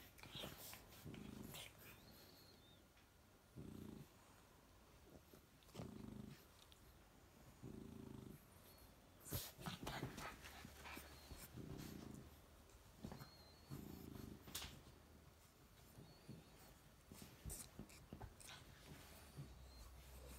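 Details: French bulldog puppies, a chocolate male and his lilac fawn sister, play fighting on a couch indoors; low rumbling growls come in short bursts roughly every two to three seconds, with scuffling and sharp clicking bites between them.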